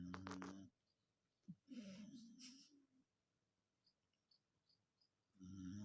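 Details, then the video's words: Django, a Dachshund, snoring while asleep and dreaming: a low, buzzing, droning snore with a rough nasal edge comes in three bursts, at the start, in the middle and at the end, with near silence and a few faint high ticks between. "Dachshund Django snoring and dreaming😇 (er schnarcht und träumt!)"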